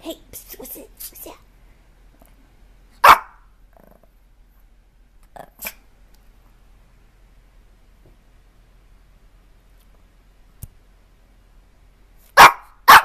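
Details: Dogs from a funny barking compilation: a few sharp, broadband barks stand out around three seconds and again near twelve to thirteen seconds, with fainter yaps and a brief voice early on, long quiet gaps between.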